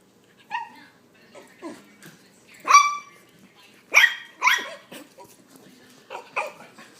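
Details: Puggle puppy barking in an irregular series of high, yappy barks mixed with softer yips, loudest in the middle, with faint household noise between calls.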